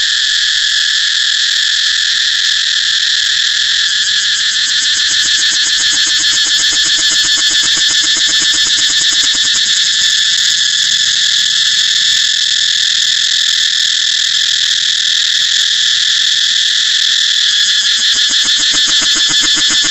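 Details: Steady, intense buzzing of a cicada, a shrill unbroken high drone with fast pulsing that grows more noticeable in the second half.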